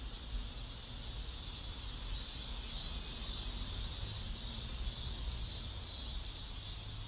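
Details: Cicadas in a South Korean neighbourhood give a steady, high hissing drone over a low rumble of distant traffic.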